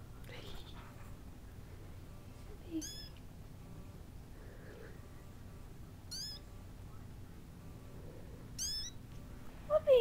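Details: Kittens with their mother cat indoors: three thin, very high-pitched mews with curved, bending overtones spaced about three seconds apart, a woman speaking softly to them in between, and a lower, louder meow right at the end.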